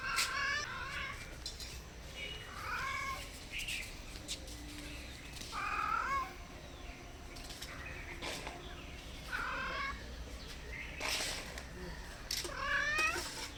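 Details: Stray cats, hungry and looking for food and shelter, meow softly near a home; brief wavering meows recur every couple of seconds, separated by clicks and light rustling.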